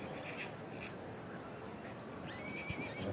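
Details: Welsh Cob at a foal championship show, letting out a brief, high, quavering whinny near the end, over a steady hum of showground background noise.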